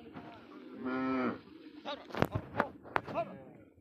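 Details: Cattle reportedly smuggled across the Indian border, found on a Padma char; one loud, nasal moo lasting about half a second, followed by sharp knocks and clatter.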